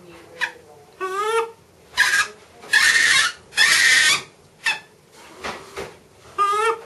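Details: Excited captive macaque Miss Anna, Bear Creek Sanctuary, awaiting breakfast: short undulating, trilled tonal calls with a wobbling pitch, alternating with loud broadband rasping bursts roughly every second.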